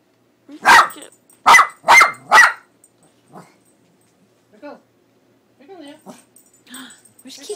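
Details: Pet dog Leo, scared of the cat image printed on a cat food bag, lets out four quick loud barks in a burst, followed by quieter whining sounds and a person calling.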